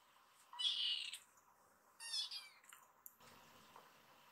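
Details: Excited rescued kitten in foster care calling while climbing up a man to his shoulder after play: two loud, high, drawn-out meows about 1.5 seconds apart, then a faint short squeak.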